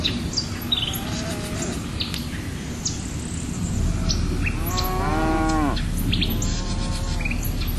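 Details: Single cow moo, long and strongly harmonic, rising then sliding down, followed by a softer trailing call. Background rumble and frequent bird chirps are heard throughout.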